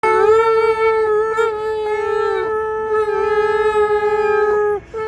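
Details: A pet dog singing, sustaining a long steady howl with rich harmonics, holding one pitch for several seconds with brief breaks and slight wavers, loud and close.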